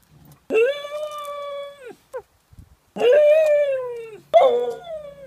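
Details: Dog singing or yodelling in three long, sustained howls, each with a bright rising start and a slowly falling tail, separated by short breaks and soft whimpers.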